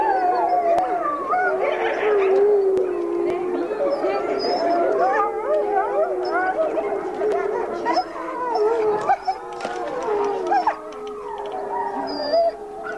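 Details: Gray wolves howl in long, wavering, overlapping tones that slide up and down, packmates howling in the background while a single wolf greets her hand raisers.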